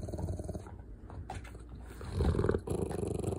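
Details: Bear, a Rottweiler, rumbles contentedly while wanting affection rather than from anger: a low, continuous, throaty rattle that swells louder toward the middle and end, with rustling close by.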